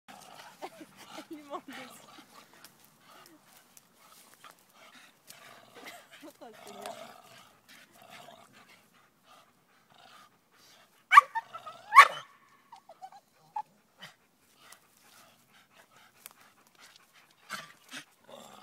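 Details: A Staffordshire Bull Terrier playing on a springpole gives gruff, broken growling sounds and a few sharp loud bursts, with a person talking.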